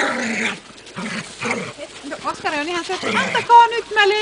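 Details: Four Glen of Imaal Terriers from Finland playing together: people talking at first, then a quick run of high, bending whining yelps in the second half.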